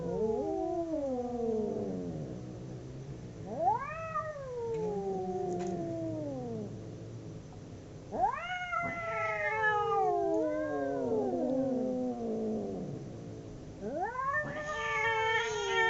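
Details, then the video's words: Pair of domestic cats caterwauling as they fight, trading drawn-out yowls that climb sharply then sag downward, several overlapping bursts separated by brief lulls, the last cry rising again at the close. "Two cats howling cats fighting sound"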